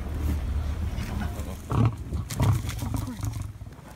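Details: Lion on safari in Africa, interrupted while mating and charging at frightened tourists, giving deep, rumbling low growls that swell twice in quick succession, with vehicle rumble and people's voices underneath.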